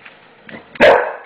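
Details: Single gruff bark from a male English Bulldog afraid of the new floor, preceded by soft low huffs and shuffling.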